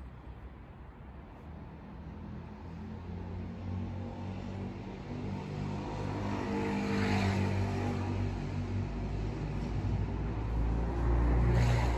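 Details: Vehicle engine noise swelling steadily louder over low rumble, like a passing car or propeller aircraft, with no animal sounds.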